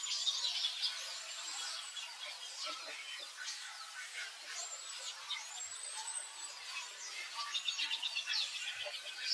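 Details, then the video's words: Baby monkey crying out, upset after being mistreated and refused milk by its mother; wild monkeys. Repeated high, thin arching squeals rise and fall, with bird chirps and insect hiss throughout. "The baby monkey was-mistreated-crying-out-and-biting-no-giving-milk-by-Mother-feeling-upset-of-baby"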